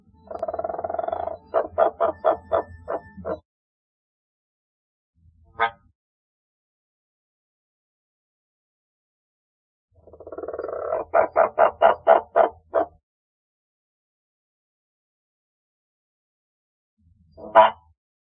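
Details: Two male giant waxy monkey frogs (Phyllomedusa bicolor) call in bouts, each a rough, buzzy note breaking into six or seven evenly spaced, hollow, knocking clucks like an evil laugh. Single isolated clucks follow in the quiet gaps.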